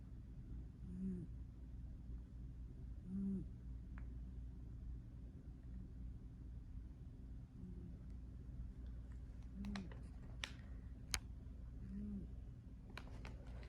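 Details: A cat snores softly while asleep, low short breaths roughly every two seconds, then sharp clicks and rustling toward the end as he is accidentally woken, in a quiet room.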